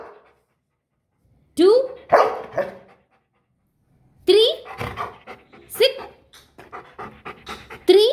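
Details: Male golden retriever learning numbers, answering with short barks that open on a rising pitch, given in small clusters between the owner's counting and praise.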